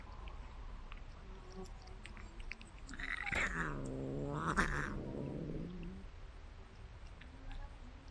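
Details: Domestic cat being fed treats delivered by a remote-controlled car, giving one long, drawn-out meow with rich stacked harmonics that rises, holds, and then falls away over about three seconds, with a faint background hum.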